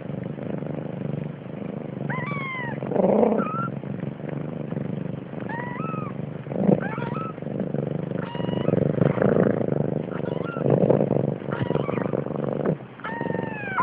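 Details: Siamese kittens, five born 30 October 2011 at Malviken cattery in Sweden, with their protective mother: thin, high mews rising then falling, some arched and doubled, come every second or two over a steady low rumble.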